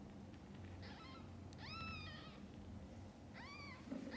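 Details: Cat mother caring for her tiny kittens, from birth to when their eyes open. Three drawn-out meows, each sliding up then gently down, follow one another within four seconds against low background rumble.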